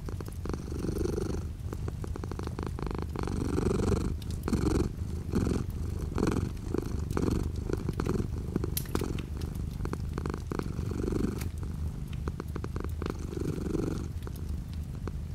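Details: A house cat purrs steadily while light rain patters outside the window, the low vibrating rumble rising and falling with each breath over fifteen seconds, with frequent raindrop ticks and clicks.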